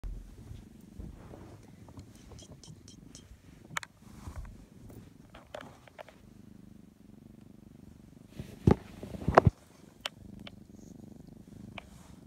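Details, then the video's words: A cat purring indoors: a steady low rumble runs throughout. Scattered soft clicks and a few sharp knocks are heard, loudest near nine seconds. "cat and glasses purr"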